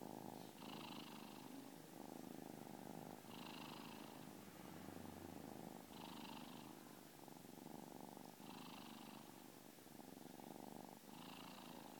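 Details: A kitten purrs like a little jackhammer: an unbroken rattling rumble rising and falling with each breath, roughly every two and a half seconds, in a quiet room.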